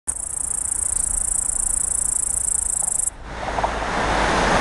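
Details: Big green grasshopper singing in Riga, Latvia, in late summer, making the sound with its wings and recorded on a small photo camera. A very high, steady buzzing trill runs for about three seconds, then stops abruptly, giving way to loud low rumbling noise.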